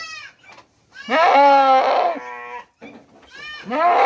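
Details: Hungry goat on a goat farm in Mumbai, India, bleating loudly: a long wavering nasal bleat held over a second, a short lower call, then another bleat starting at the end.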